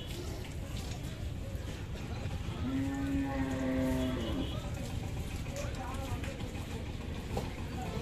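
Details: Adult mother cow being bathed and cleaned gives a single long, steady, low moo lasting nearly two seconds, even in pitch with a slight dip at its end, over a constant rumbling background and people's voices.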